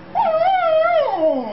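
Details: Female Australian Shepherd, a pet, crying about her boy: one drawn-out, wavering whine lasting over a second, holding steady before sliding down in pitch at the end, with a clear tonal quality and no other sounds.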